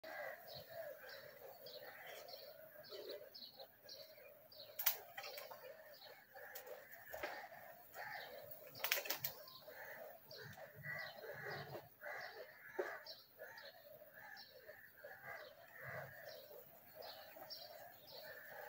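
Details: A dense, steady hum of many Western honey bees (Apis mellifera) at a large hive being harvested for honey, wavering in loudness, with a few sharp knocks.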